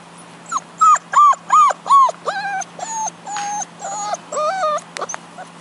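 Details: Young Lurcher pup from a litter born in Houston, Texas in May 2010, at play with its Deerhound mother, gives rapid strings of whining yelps, arched then flatter wavering notes, roughly fifteen in under six seconds, over a quiet hum.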